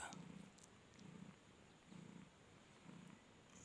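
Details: Flori, a mother cat with four kittens (two reddish-ginger, two white) nursing at a Khalishpur cat market in Khulna, purrs with happiness: four evenly spaced low rumbling bursts with a faint rustle at the start.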